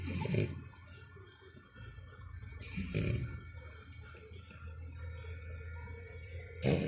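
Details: Four-month-old French Bulldog named Canon snoring loudly while asleep indoors: deep, rasping low snores in slow breaths, with two louder snorts near the start and end and a quieter rumbling stretch between.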